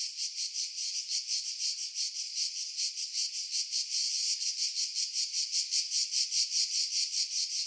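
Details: Cicadas in pine trees about 50 m above the sea at Pefkos Bay, Skiros, Greece, in July 2018 sing a loud, continuous, rapidly pulsing buzz; wind noise was edited out, leaving dead spots.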